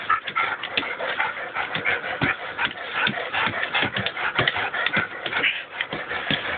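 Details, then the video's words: Playful growls from a 12-year-old dog gripping his blue toy in a tug-of-war: a steady gravelly rumble broken by short bursts, with scuffles and shuffling throughout. "Dog tug-o-war"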